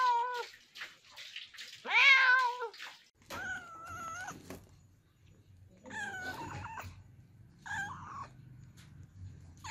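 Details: Kittens meowing in a compilation: a rapid series of short, high, wavering mews, some strained and rising, others softer, with a low rumbling background in the second half.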